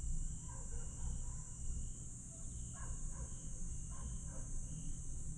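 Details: Night chorus of grass insects at Aewol on Jeju, 22 July 2022: a continuous high-pitched ringing with regular short trills, scattered brief chirps from another caller, all above a strong low background rumble.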